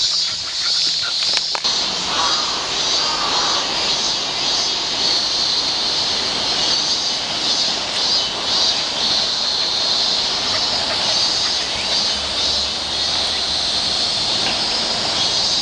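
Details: On a walk, a chorus of cicadas keeps up a steady, hissing high whine, with a brief knock near the start and a faint low rumble in the background.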